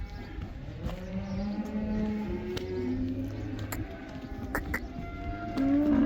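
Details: Black cows in the Netherlands going back out to pasture, the cow dance; several fairly soft, sustained low moos overlap with clicks and background clatter, and a louder moo begins at the very end.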